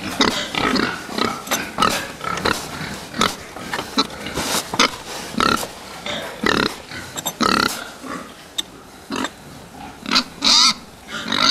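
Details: A group of fattening pigs, with busy overlapping grunts and snorts and several sharp squeals, some rising high, over steady pen noise.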